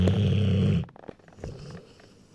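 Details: Rottweiler a little over one year old, asleep: a deep, buzzing snore lasting under a second, then soft breaths and small clicks in a quiet room.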